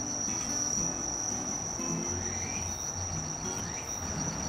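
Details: A Walker's cicada (tsukutsukuboshi, Meimuna opalifera), heard as a sign of autumn's arrival, gives a steady, shrill, high-pitched buzz over a low background hum.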